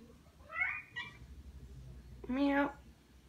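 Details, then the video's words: Tom the cat gives a pair of brief meows, then one louder, steadier meow near the end, with a human voice mixed in and low background hum. "Tom meows so awesomely"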